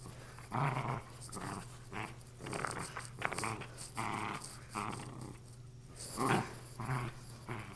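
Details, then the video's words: A female Lakeland Terrier at play with a torn stuffed toy, producing many brief, choppy growls and grunts mixed with scuffling and toy noises over nearly eight seconds, with a constant low background hum. "Lakeland terrier playing with what’s left of her stuffed animal"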